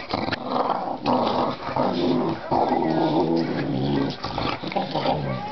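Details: A pair of young dogs play-fighting indoors, mouthing each other without real bites, recorded 24 May 2009; deep, throaty growls in long rumbling bursts, pausing briefly about every second, with a person's voice faintly underneath.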